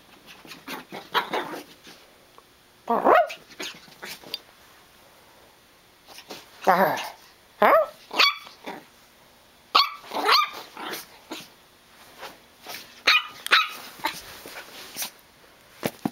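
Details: A six-month-old Chihuahua puppy named Farfl, stir crazy indoors after rain and tearing around a carpeted basement, gives bursts of harsh growling and sharp yaps in irregular runs, with a person's voice now and then in the room.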